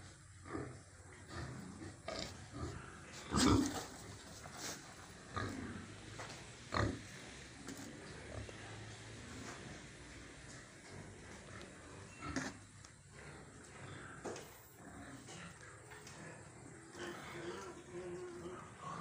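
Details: Pigs on a farm at feeding time give scattered short grunts and squeals, the loudest bursts near the start and middle, over a steady background of rustling and clattering feeding noise.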